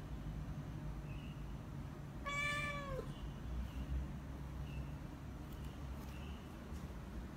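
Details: Hungry British Shorthair kitten gives a single long meow, steady then dipping at the end, followed by soft faint chirps and a low constant rumble in the room.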